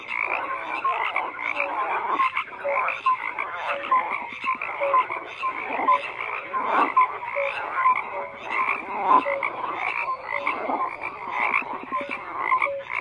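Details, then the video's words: Frogs croaking en masse; crowded rasping calls overlap constantly while brief clear whistled notes pop out every second or so, forming a steady nocturnal-sounding wall of sound. "FROGS CROAKING"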